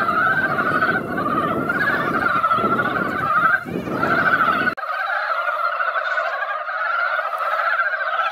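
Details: Dense chorus of mountain frogs at a once-quiet mountain pond after light rain: rapid, overlapping croaking throughout, with low rumbling noise underneath in the first half that drops away midway.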